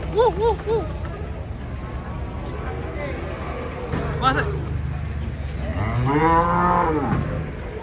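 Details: Huge cattle jumping down off a truck; short wavering calls early, then a long, deep, swelling moo near the end over a constant low engine-like hum and background voices.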